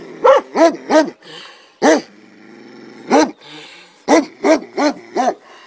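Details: Komondor guard dogs at a boathouse by the cave bath in Miskolctapolca, Hungary, giving a quick run of three barks, then single spaced barks, then four more in fast succession; faint murmur in between.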